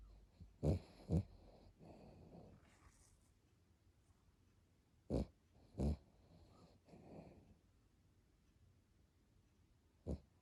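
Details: Brooklyn, an overweight Chiweenie (Chihuahua x Dachshund), snoring while asleep indoors: low rumbling breaths with sharp snorting bursts near the start, around five to six seconds, and at the end, separated by quiet wheezy breathing.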